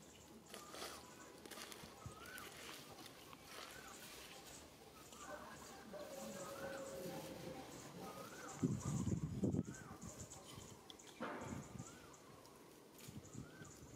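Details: Monkey mother Alika warning an adult monkey that is trying to kidnap her baby: a string of short, arched tonal calls rising and falling, about eight across the stretch, with a harsh rustling burst midway and soft outdoor background.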